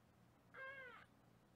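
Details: A single drawn-out kitten meow, level then gently falling, lasting about half a second. It was recorded during a weighing session of foster kittens in Los Angeles, over a faint steady room hum.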